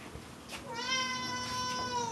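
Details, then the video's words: Pet cat named Pancake indoors, meowing while its owner talks about someone not yet home: one long harmonic meow about 1.4 seconds, steady then gently falling, after a soft chirp; low room hum beneath. "Talking wtih cats"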